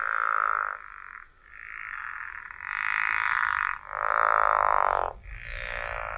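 A pickerel frog gives a series of rough, grating croaks, each about a second long, like snoring.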